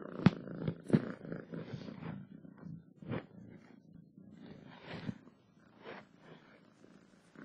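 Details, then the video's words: Purring from a cat, a low rumbling drone with uneven pulses and several sharp clicks and soft bumps scattered through it. "7 minutes of Cats Purring to make your day better!"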